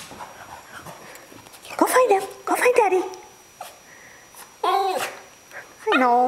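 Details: Charlie, a pet Cavalier King Charles Spaniel missing his absent male owner, gives short harmonic whines near the end while a woman teases him, asking where daddy is and saying he is coming.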